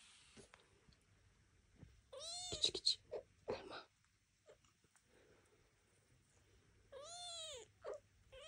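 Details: Devon Rex kittens take their first walk out of the birthing box indoors, watched by their mother and aunt; two bursts of high, arching, harmonic meows, the first a quick cluster, the second a single drawn-out cry, with soft rustling between.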